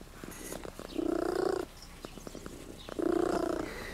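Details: Purring of Tutti Frutti, an attention-loving cat in Sardinia that kept visiting travellers, recorded on a Sony FDR-AX33 camcorder; two steady low purring bursts, each about half a second long, separated by quieter breathing.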